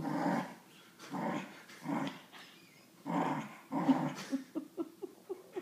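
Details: Dillon the Wheaten Terrier, holding his favourite toy monkey, growls in repeated low throaty pulses about once a second, ending in a run of quick, choppy grunting bursts.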